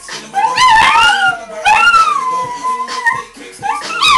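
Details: Chihuahua and Dachshund howling whenever Apple Bottom Jeans is played: rising, wavering howls that swell and fade in short bursts, mixed with loud background music and a little human voice.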